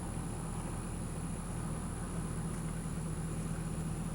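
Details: Steady low engine idling rumble with a constant high electrical whine above it, unchanging for the whole stretch.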